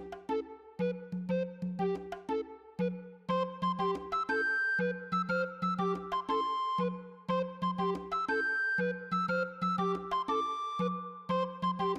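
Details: Bouncy synthesizer and keyboard music with a steady repeating beat fills the recording, and no animal is heard.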